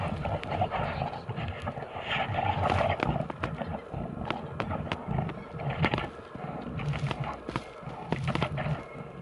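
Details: Two big brown bears fighting in a Finnish forest, filmed from a bear hide in Kuhmo, Finland; low, rough growls and grunts swell and fade, mixed with sharp snaps and thuds of scuffling throughout.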